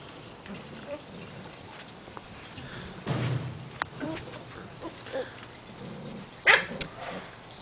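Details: Seven-week-old Portuguese Water Dog puppies at play outdoors: short sharp yaps and a low bark-like burst break through steady background hiss, with a loud yelp near the end.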